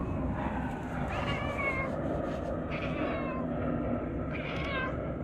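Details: Talkative stray cat uttering three drawn-out, wavering meows over steady background noise.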